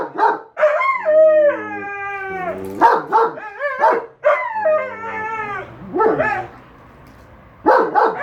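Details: Pet German Shepherd and Siberian Husky in a noisy exchange about a lawn mower, the louder one apologised for: drawn-out wavering howls with falling and rising pitch, broken up by short sharp woofs, ending after a brief quiet gap.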